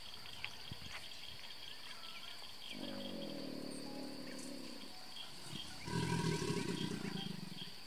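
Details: Bellowing big male American alligator answering another gator at the start of mating season, Brazos Bend State Park, Texas: two deep, growling bursts, the second louder and harsher, over a constant high insect whine and scattered bird notes.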